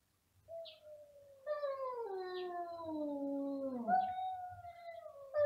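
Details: Domestic cats meowing very loudly together, a long wavering howl that slides downward over several seconds, then jumps back up to a higher sustained note.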